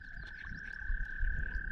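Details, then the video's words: Frogs call in a steady, unbroken high trill over low wind rumble, with birds and a whip-poor-will in the background, heard while kayaking and fishing for pike on Deer River Flow in the Adirondacks. "You can hear the frogs. It sounds so cool."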